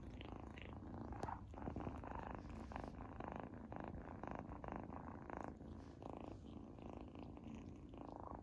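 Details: Dense low purring from kitten Izzy tasting a treat for the first time, indoors, with rhythmic chewing pulses layered on top and a short sharp click early on.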